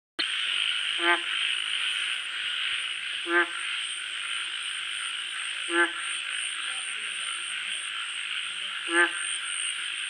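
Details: Frog calling at night: four short, deep, harmonic croaks spaced roughly two to three seconds apart over a steady high-pitched chorus of insects or distant frogs and a thin constant high tone.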